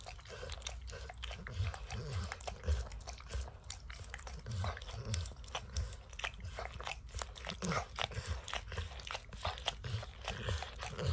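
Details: Peanut butter and kibble licked from an orange mat by Max, a dog who loves to lick. Dense, fast wet licking clicks and crunches continue almost without a break, over a low rumbling thud.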